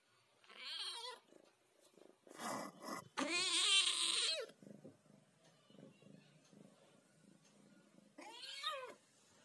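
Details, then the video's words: Ginger cat talking in a quiet room: a short meow, a clipped burst, then a loud, long, wavering meow, followed after a pause by one final rising-and-falling meow. "talking ginger cat"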